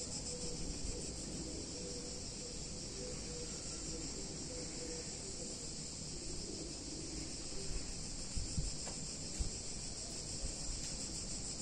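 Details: Hot summer day in a picturesque Italian town, cicadas filling the air with a dense, unbroken, high electric buzz, slightly pulsing, over a soft low rumble of background noise.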